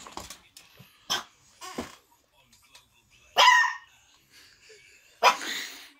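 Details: A Miniature Schnauzer puppy at home barks at apparently nothing, giving sharp, high barks spaced a second or two apart while a person talks to it.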